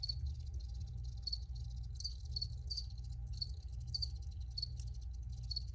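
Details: Crickets recorded outdoors give sharp, high chirps in clusters of two or three, repeating every half second or so, with a constant deep hum underneath.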